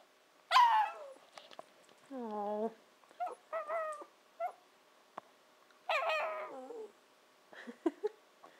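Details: Nanako, a 14-15 week old Shiba Inu pup, 'talks' to her family, a habit meaning she wants breakfast or dinner; bursts of yowling, warbling whines and short yips, some wavering and falling, separated by quiet gaps, with a person speaking softly.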